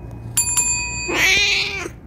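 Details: Male house cat protesting after being stopped from kneading. A bright bell-like ring sounds twice, then the cat lets out one harsh, strained, nasal meow lasting under a second.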